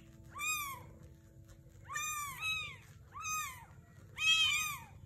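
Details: A mother Sphynx cat, among Sphynx and British kittens, gives a series of arched, rising-then-falling meows, some overlapping; Sphynx cat.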